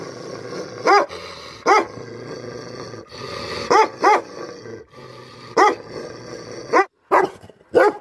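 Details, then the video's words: Single deep, resonant barks from an angry Tibetan Mastiff (Bhote Kukur) come every second or so over a constant background hiss, often in pairs. "Angry dogs barking effect sound ||Tibetan Mastiff || Bhote Kukur"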